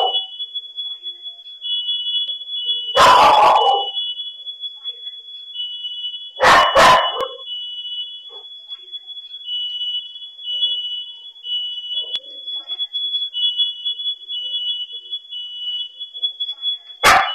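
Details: Dogs left home alone during a fire, heard through a pet camera: a few loud barking bursts several seconds apart, while a smoke alarm beeps continuously and shrilly throughout.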